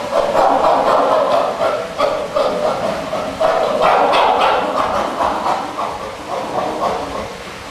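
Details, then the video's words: Pant hooting chimpanzee, the display of strength and dominance, with fast repeated panted hoots, about four per second, rough and breathy, swelling in loudness midway before gradually fading toward the end. "Chimpanzees Performing the Pant Hoot: Grunts, Vocalizations, Hooting"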